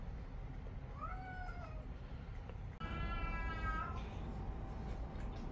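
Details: Domestic cat indoors while the cats are being offered meat, one called Cheon. A rising-then-falling meow comes first; after a pause, a longer, flatter, strongly harmonic mew is heard, with a low room hum throughout.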